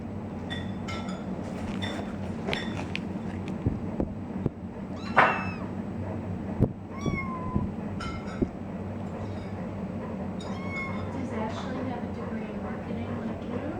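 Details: Three-week-old foster kittens playing with their water bowls indoors: thin, high, short mews repeated at irregular intervals, some falling in pitch, with clicks and splashy bumps over a steady low hum.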